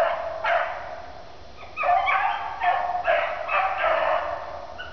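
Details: Daisy and Blue, dogs running through a swamp, give a string of about six loud, hoarse bays and barks, each drawn out and falling slightly, with short pauses between them.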